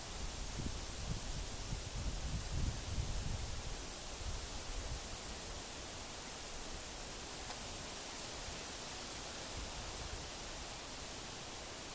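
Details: Steady outdoor hiss with low wind rumble in the first few seconds and a faint constant high whine, with no animal calls.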